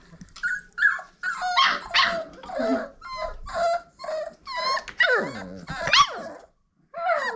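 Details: Old Family Red Nose Pit Bull puppies at five weeks old, from parents Abby and Ragnar, indoors: a run of high, wavering whines and sharp yips in quick bursts, rising and falling, with short pauses between cries.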